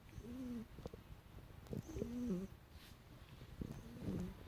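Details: Asleep indoors, the house cat Dream snores a bit, each breath carrying a nasal, whistling tone that bends slightly up and down, three squeaky snores spaced about two seconds apart against quiet background rumble.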